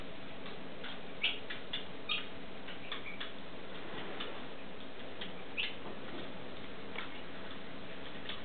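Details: Stone marten pup while feeding, giving a few short high squeaks at irregular intervals, with a steady hiss and soft ticking clicks behind.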